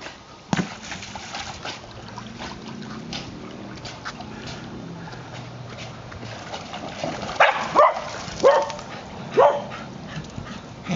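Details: White terrier, a five-year-old female, chasing a ball in the water; after a long stretch of splashing and paddling, three or four short, high barks come close together near the end.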